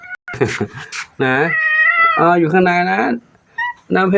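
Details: Domestic cats that have just eaten, settling down to rest before evening at Wat Pong Chai temple, Chae Hom, Lampang, Thailand; a high, drawn-out meow with short tonal mews, overlapped by people talking nearby.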